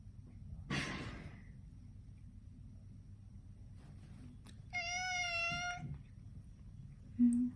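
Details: Munchkin cat Chacha meowing indoors during the nail trimming done every two weeks: after a short breathy burst, one long, steady, clear meow of about a second with rich harmonics, then a brief low sound at the end.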